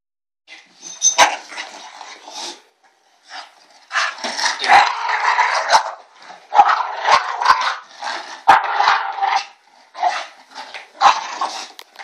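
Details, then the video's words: A bulldog making odd noises likened to an ewok: a run of grunty, gargling bursts, some short and some drawn out over a second or more, broken by brief pauses and a few sharp clicks. "Bulldog makes crazy noises!"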